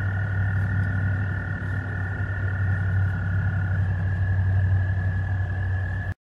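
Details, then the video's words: American toads seeking mates in a noisy breeding chorus give long, steady, high musical trills, two voices slightly apart in pitch, over a low hum. "American toads mating part 1 Medium"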